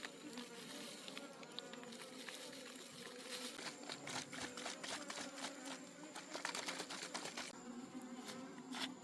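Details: Honey bees from a wild forest colony as their honey is harvested: a continuous low droning hum beneath dense crackling and rustling from the comb being worked.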